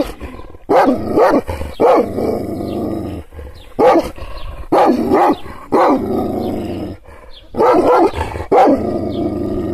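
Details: Angry Kangal, an Anatolian shepherd dog, provoked by hand gestures without being touched: deep loud barks in bursts of two or three, broken by low rumbling growl between volleys, irregular spacing.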